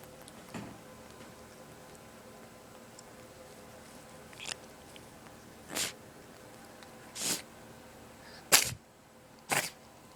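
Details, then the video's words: Domestic cat with a cold sneezing in a small indoor room: six sharp, breathy bursts, a faint one first, then growing louder and coming faster, about one a second near the end, over a quiet steady background hum. "Cat with cold sneezing really fast"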